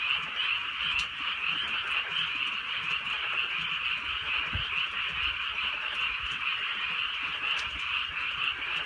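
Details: Countryside night chorus of frogs calling through soft, steady rain; countless overlapping croaks merge into a continuous shimmering drone, rising and falling slightly in intensity, with occasional sharp raindrop clicks.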